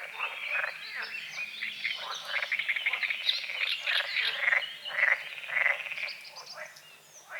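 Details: Croaking frogs in a forest-edge lake at dawn, many callers overlapping into a dense rattling chorus of short pulsed croaks, under a steady hiss of insects and high bird chirps.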